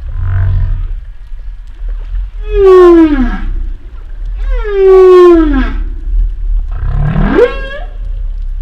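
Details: Humpback whale sounds accompanying footage of a male and female pair at Silver Bank, February 2020: three loud moaning calls with rich harmonics, the first two sliding downward and the last sweeping upward into a cry, over low rumbling.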